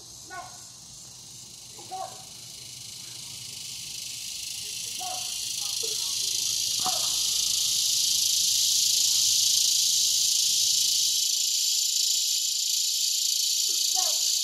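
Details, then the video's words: Cicada chorus recorded in Broken Arrow, Oklahoma, in August 2020: a dense, hissing buzz that swells steadily louder and holds high and continuous, with a few faint, brief lower calls scattered through the first seconds. "Cicada Chorus"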